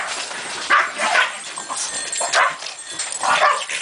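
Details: Japanese Chin and a Chin crossed with Shih Tzu playing in snow, dogs from Vancouver unused to snow; short high yips and whimpering barks in bursts, several per second, with rustling in the background.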